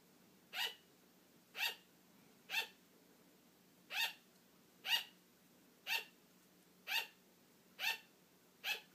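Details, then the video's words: Attention-seeking barks from a pet female sugar glider who wants play to continue as her owner dozes off; steady series of nine crisp, high yaps about one per second, with a brief pause midway. "Sugar glider barking for attention"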